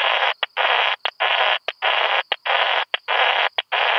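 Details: Krauss's bush-cricket singing at Solnhofen, Germany, on 17 June 2021, picked up through a Pettersson D 100 ultrasound detector: dense hissing bursts of about half a second each, separated by brief gaps and short clicks, repeating steadily throughout.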